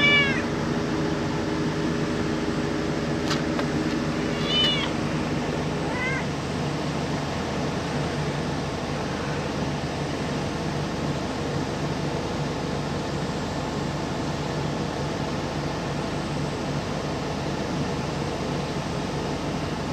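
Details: Cat giving a few short, high meows in the opening seconds, one around the fifth second and a softer one near the sixth, then a long stretch of steady low rumbling noise with no further calls.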